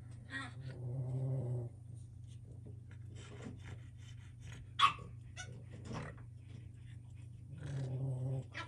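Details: Boston Terrier puppies play on and in a wobble disk balance enrichment toy: low rumbling growls in bursts, a sharp yip and clattering play noises.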